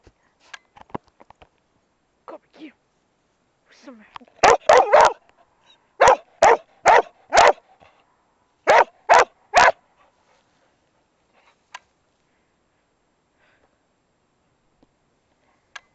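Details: Dog on round hay bales at HayLand, October 10 2007, barking: about ten sharp, loud barks in quick clusters of two to four through the middle of the recording. Softer scattered sounds, possibly voices, come before them, then near quiet.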